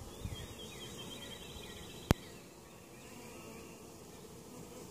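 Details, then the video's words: Steady low drone of a honey bee colony at a hive in Mt. Perry, Ohio, weakened over winter and treated for varroa mites, interrupted by one sharp click partway through. "honey bee hive"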